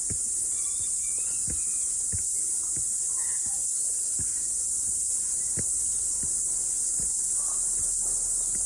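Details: Cicadas singing after rain on a morning mountain hike: a steady, dense, high-pitched buzzing drone that never lets up, with regular crunching footsteps beneath it.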